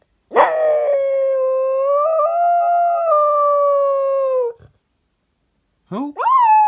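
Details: A cocker spaniel "sings" along to "Who Let the Dogs Out", giving a long, steady howl, then starting a second one that rises in pitch.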